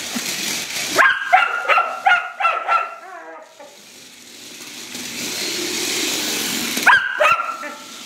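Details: Female rough collie provoked by a radio-controlled kid's car, giving a quick run of about six barks, then a stretch of steady background hiss before two more sharp barks.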